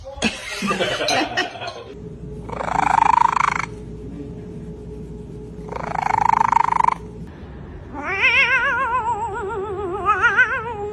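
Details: House cat giving a wavering, quavering yowl near the end, after bursts of rustling noise and a steady background hum.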